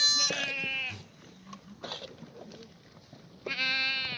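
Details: Korean farm black goats in their exercise yard at Gimhae on a clear April morning in 2019. A strong bleat fades out, scattered clatter and soft sounds fill a pause, then a second sustained, quavering bleat starts loudly.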